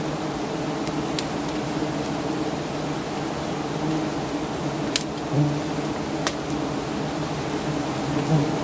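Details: A giant honey bee colony in Thailand drones loudly while its nest, high up, is harvested by honey hunters. The buzzing is a steady, layered hum with few interruptions, apart from a couple of brief clicks.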